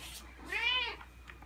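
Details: Indoor Ragdoll cat meowing as its owner changes into outdoor clothes to go out; one clear, arched, drawn-out meow rising then falling in pitch, with a quiet room behind.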